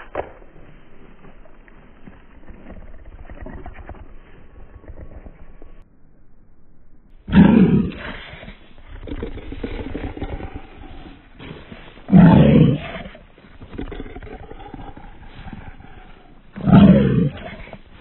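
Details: French Bulldog in Russia giving three loud, low, rough grunting growls at roughly five-second intervals, each a short throaty burst, after a stretch of quieter muffled rustling and low murmurs.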